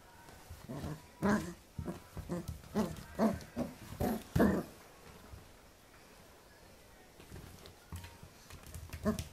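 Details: Pembroke Welsh Corgi puppy playing with a hand, filmed in 2014: short low growly bursts with grunting pulses, clustered between one and five seconds, then quieter rustling with a few faint sounds near the end.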